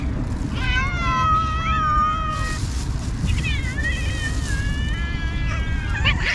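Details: Cats at feeding time, given food by a kind person; one long, wavering meow with rich harmonics is followed by a run of shorter, pitch-bending meows, all over steady low-pitched background noise.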